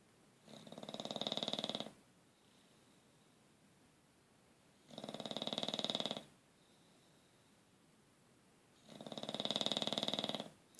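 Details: Dog snoring: three rasping, breathy snores, each lasting about a second and a half and coming roughly every four seconds, with quiet breathing between them.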